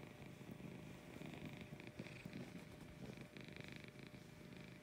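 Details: Female cat Lucy purring in the morning, a close, continuous low buzzing rumble that swells and eases in rhythmic waves with each breath.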